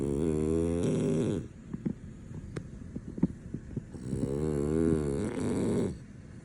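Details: Deeply asleep male French Bulldog, impossible to wake, gives two drawn-out vibrating snores, each over a second long. Between them come quiet breaths and soft ticking clicks.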